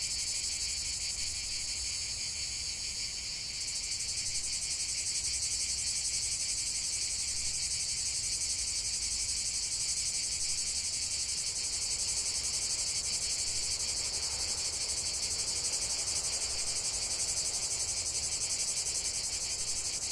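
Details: Cicadas singing together in nature, a long, even, high-pitched shimmering buzz with rapid pulses, the tone changing slightly after a few seconds, steady to the end.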